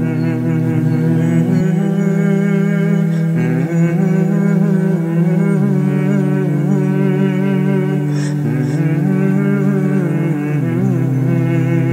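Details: Loud, sustained instrumental music with a low droning melody fills the recording from start to finish.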